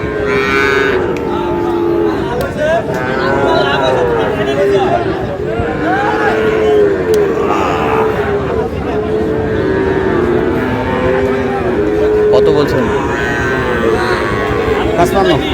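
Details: Sahiwal cattle lowing at the busy Ambari livestock market, Aftabganj, 19 August, where a Sahiwal bull calf is bought by a Khulna farmer; repeated deep moos with rising and falling tones, mixed with crowd chatter and loud bargaining voices.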